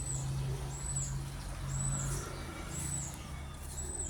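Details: Orphaned baby squirrel, lost beside a road without its mother, calls in faint, high-pitched chirps spaced roughly every second, with a deep vehicle hum and a sharp click at the end.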